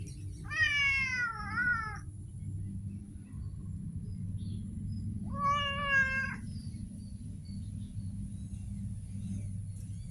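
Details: Two separate meows from a street cat, the first wavering and dipping twice, the second shorter and steady, roughly four seconds apart over continuous low traffic-like rumble.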